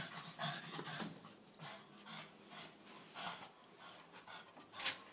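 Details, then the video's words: Two-year-old Boston terrier Piper, diagnosed with epilepsy, seizing at night; heavy hissing gasps come about once a second, with a sharp loud burst near the end. "Violent dog seizure"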